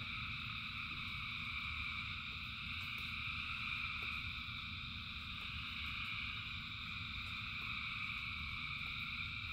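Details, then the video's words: Rain-soaked night of frogs singing in their thousands, a seamless high-pitched wall of trilling at stacked pitches, with the soft hiss and patter of heavy rain underneath. "Frogs in Rain 2 Hours of Frogs, Thousands of Frogs Singing"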